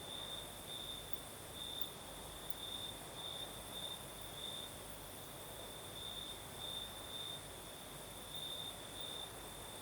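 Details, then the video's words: Crickets sing through a southern Crimean night while a night breeze blows; bright, high trilled pulses repeat in uneven bursts above a steady background hiss of wind. "Звук ночи. Юг. Крым. Сверчки поют. Ночной бриз."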